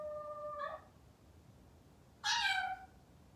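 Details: Maltese dog called Danggeun, left home alone and waiting for the family to return, gives a steady tonal whine that bends downward at the end, then a louder, brighter descending cry about half a second long; a person then calls its name.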